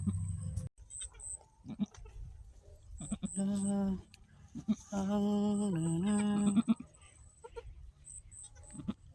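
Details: Domestic goat that has just given birth to two female kids, her second kidding, with one kid already nursing; two long, wavering, strongly harmonic bleats around seconds three and five, with faint high ticking and quiet human voices between calls.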